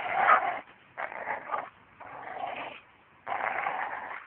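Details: American Staffordshire Terrier named Dana giving four drawn-out, rough, harsh vocal bursts, each lasting roughly half a second to a second, separated by short silent gaps, with the last burst the longest.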